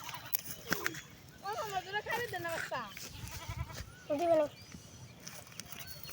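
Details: Black Bengal goats with newborn kids suckling their mother's milk: several wavering, quavering bleats with bent, shaky pitch, one louder bleat near the end, over a person speaking Bengali and light background rustle.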